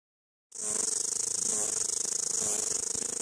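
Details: Headless cicada on the ground still making noise: after a brief silence, a continuous high shrill buzz starts and holds steady, with a faint low hum beneath.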